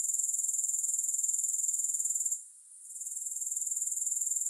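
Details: Grasshoppers in a relaxation recording without music: a steady, very high-pitched shimmering trill pulsing about four times a second, briefly dropping away near the middle before resuming at full strength.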